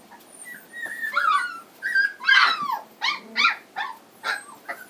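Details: Home-raised Standard Poodle puppies, three weeks old, in Lodge Grass, Montana: drawn-out whines followed by a run of sharp, broadband yelps about once a second, several pups calling together.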